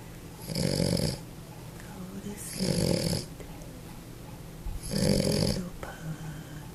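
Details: A sleeping pug snores indoors, three rough, breathy snorts spaced about two seconds apart, each lasting under a second, with a quiet room in between.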